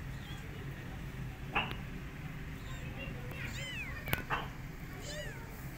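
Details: Cat Goldie meeting and babysitting three motherless kittens; high, thin arched mews, a pair near the middle and another toward the end, with sharp clicks and a low steady hum beneath.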